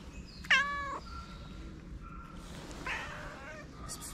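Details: Street cat in Morocco that approaches a person with a meow; one loud, clear, half-second meow with rich harmonics, followed by a quieter, rougher call amid low outdoor background noise.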